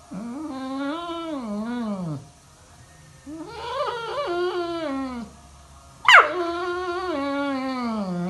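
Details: Morning alarm from a Labrador Retriever indoors: three bursts of wavering, sing-song whining with falling ends, broken by one sharp yelp near the sixth second, over a faint steady background hum.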